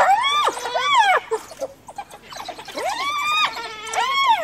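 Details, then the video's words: Cornered by a pack of wild dogs, a hyena calls for help from clan members, giving strained arching squeals that rise and fall in quick pairs, a brief quieter gap between the two bursts. "Hyena Cornered by Wild Dogs Calls for Backup!"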